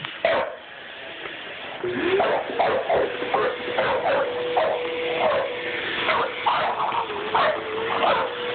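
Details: A six-month-old English Bulldog reacting to a vacuum cleaner it dislikes: short, rough barks come in irregular bursts, a few each second, over the steady droning whine of the running vacuum, with a person's voice briefly.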